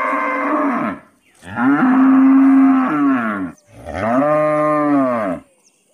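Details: Village cow giving three loud, drawn-out moos, the middle one longest and steady, each rich in harmonics and separated by short pauses.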